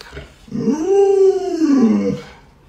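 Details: Luoluo, a pet Alaskan Malamute, reacting to its bedridden sick owner with a single smooth howl that rises and then falls, lasting under two seconds, in a quiet room.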